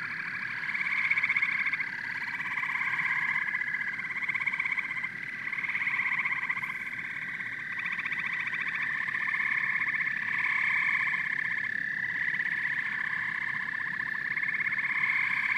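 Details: Dense amphibian chorus of frogs and toads: rhythmic pulsed trilling that swells and fades in overlapping bursts of a few seconds, mid-pitched and buzzy, over a soft low background hum.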